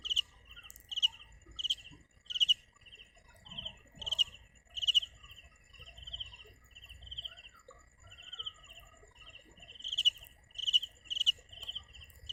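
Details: Cricket (dế mèn) singing: high, rapidly pulsed chirps repeated in bursts about every half second, some sharper and louder, over a constant thin high whine and faint low rustling.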